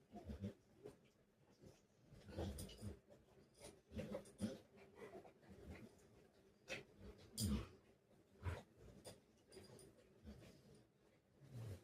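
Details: Rottweiler kept as a pet, keeping its owner from working, making short low whimpering moans in bursts with pauses between, mixed with thumps and rustling.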